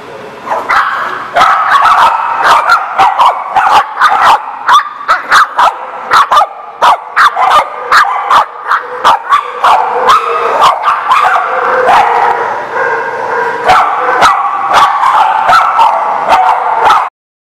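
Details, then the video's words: Dogs at a place called the barking lot, recorded on 20 May 2019, barking loudly and without pause, many sharp overlapping barks several per second, suggesting more than one dog, with a constant mid-pitched din under them. "The Barking Lot"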